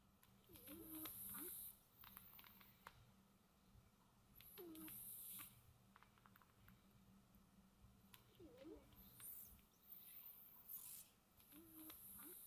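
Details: Cat snoozing peacefully indoors with steady, soft snores: hissy breaths with a low rasping tone repeat roughly every four seconds over a faint background hum.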